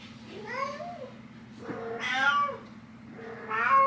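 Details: Nyx, a cat, meowing to wake her human mom: three drawn-out meows in quick succession, the first sliding down at the end, the later ones louder and brighter, with a low hum throughout.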